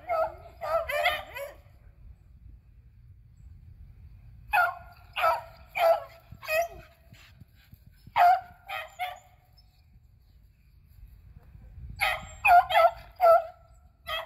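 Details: Beagles Athena, Zeus and River, two aged eleven and one aged three, hunting squirrels on April 21, 2020: four bursts of rapid, ringing barks and bays, three to five each, separated by pauses of a few seconds.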